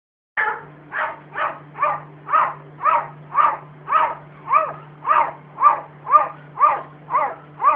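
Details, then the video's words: Domestic cat barking: about fifteen short, harmonic, bark-like bursts at a steady pace of roughly two per second, with a low electrical hum running underneath. "лающий котbarking cat(吠貓).吠える猫"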